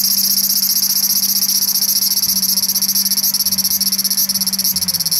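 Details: Evening song of a large brown cicada perched on a park tree branch after six o'clock: a continuous harsh buzzing hiss that turns into a rapid, fluttering pulsation in its final seconds, with a quiet low hum beneath.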